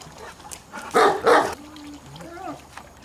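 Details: Landseer dog giving two loud barks in quick succession, followed by softer whining tones and faint background sounds.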